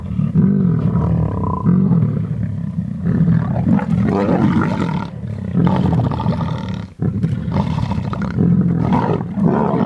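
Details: Lions of the Munghene pride squabbling over a young rhino bull they overpowered at Londolozi. Rumbling growls are broken by louder, rasping snarls roughly every second or two, with one brief lull midway.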